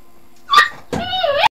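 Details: A male Pinscher gives a sharp high yip, then a longer, whiny, wavering bark.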